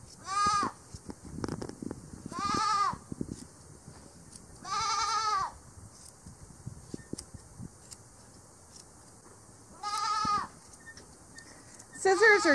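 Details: Angora goat bleating while being hand-sheared with scissors on a farm stand, part of a small flock of about fifteen shorn each season; five loud, quavering bleats come at irregular intervals, with clicks and rustling of shearing between calls.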